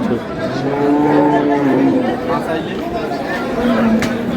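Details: Cows with calves at Ambari Haat cattle market in Dinajpur on April 6, 2026; a steady, low, harmonic moo lasts about a second and a half, then ends in a short falling tail, with market chatter around it.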